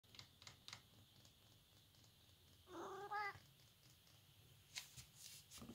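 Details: A Siamese cat, seemingly confused or nervous, gives a single brief, clear, harmonic meow that rises slightly then falls away, about half a second long; soft clicks and knocks from the room come before and after.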